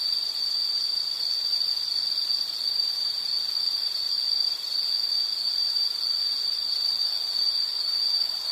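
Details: High, piercing insect trill running unbroken and even in pitch and loudness for the whole stretch, with faint background hiss only.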